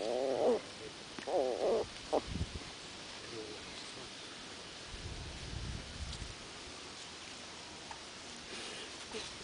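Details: Jack Russell Terrier. Two short bursts of wobbling, whiny grumbles come from a Jack Russell puppy, rising and falling in pitch. Afterwards, soft scratching and scuffing thumps are heard as the puppy digs.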